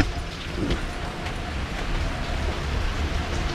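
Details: A dense, steady wash of rain-like noise with a deep rumbling undertone fills the short recording.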